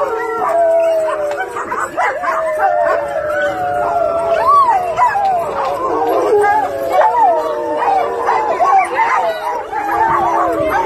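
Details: German Shepherd howling continuously in a home: layered, wavering, harmonic howls that rise and fall and overlap as if sung together, lasting throughout, with a person's voice mixed in.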